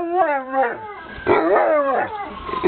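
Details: Two pet dogs howling together, wavering tonal cries that rise and fall with stacked harmonics, overlapping voices swelling louder midway through.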